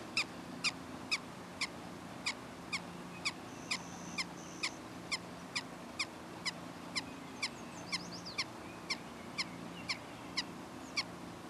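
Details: Prairie dogs in unedited footage, giving sharp, clipped chirps repeated steadily about twice a second throughout, over a constant low hum, with a few faint thin whistles in the background.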